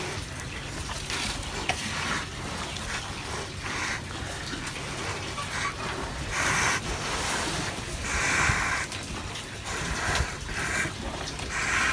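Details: Water sloshes and gurgles in uneven bursts, like drinking at a trough, over a steady low rumble. No animal voices stand out.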